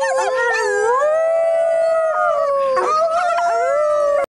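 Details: River, a coyote living at a wildlife sanctuary in Sylmar, California, gives a long, wavering, singing howl that slides up and down in pitch before cutting off, praised and rewarded with food.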